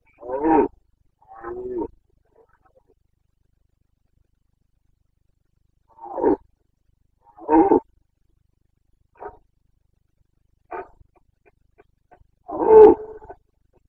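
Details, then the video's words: ['Carpathian stag in the Bucovina mountains during the autumn rut, 29 September 2022, giving a series of short grunting roars, some paired, spaced irregularly over about fourteen seconds with silence between.'] "Boncănit / Carpathian stag Breeding season"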